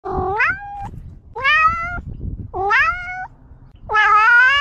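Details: Domestic cat giving four loud, clear meows in quick succession, each harmonic-rich and sliding upward in pitch before levelling off, with short quiet gaps and faint low rumbling noise between calls.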